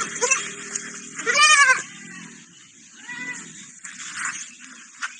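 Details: A lamb living alongside a small dog. It lets out one strong, high, wavering bleat, followed by a softer, shorter bleat and faint background sounds.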